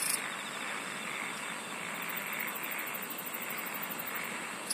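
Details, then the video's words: Insects sing as a dense, unbroken high-pitched drone, with faint, rapid, repeated ticks from the middle onward. "SINGING OF INSECTS"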